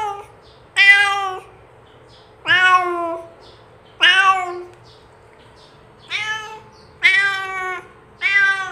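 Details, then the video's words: Domestic cat calling to lure other cats closer: six loud harmonic meows, each about half a second, some rising then falling, spaced irregularly over nine seconds, with a faint steady hum underneath. "SUARA KUCING ASLI | PANCINGAN MEMANGGIL KUCING LAIN UNTUK DATANG MENDEKAT!"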